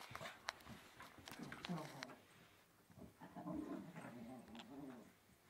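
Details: A blonde Yorkshire Terrier makes low, wavering whines and grunts while playing, with sharp clicks and a faint voice nearby.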